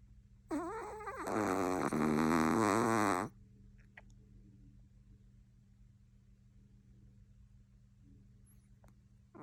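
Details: Chihuahua asleep and snoring: a single wavering, buzzy snore of nearly three seconds with a rising start, then quiet room hum with a few faint clicks.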